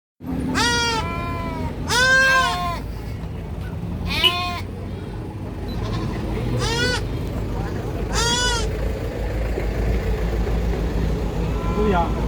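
A kid goat screams in harsh, wavering bleats that rise and fall, each lasting under a second and coming in a loose series. A low rumble and faint background noise run underneath.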